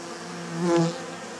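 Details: A bee passing close at the entrance of a travel box where bees carry pollen in; a low droning buzz swells briefly in the middle, then fades back into a soft hum.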